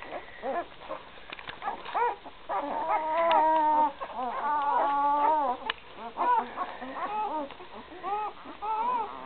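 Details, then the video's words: Three-day-old Great Dane pups, Gracie x Newman 2012 litter, indoors: loud, steady chorus of overlapping squeaky whines, drawn-out cries with wavering pitch, several pups calling at once with barely a pause. "Gracie x Newman 2012 pups 3 days old"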